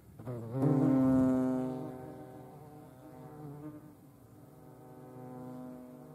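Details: European hornet (Vespa crabro) filmed in nature in the Eifel, Germany: a low droning buzz with a steady hum and stacked overtones that swells loudly near the start, then fades and wavers as the insect moves.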